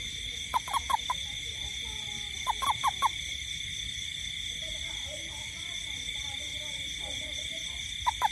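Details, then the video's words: Night-time toad in a garden during rain: croaks come in tight bursts of three, repeated every couple of seconds, with quieter stretches between. A continuous high-pitched insect buzz fills the background. "Toad frog sound in garden at night"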